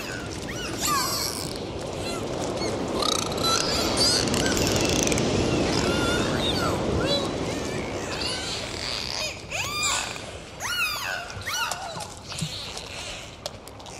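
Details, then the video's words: Dolphins underwater in the ocean, heard during a dive: a dense wash of rushing water noise carries scattered short rising and falling whistles, which grow clearer and more frequent in the final seconds. "Sound of Dolphins"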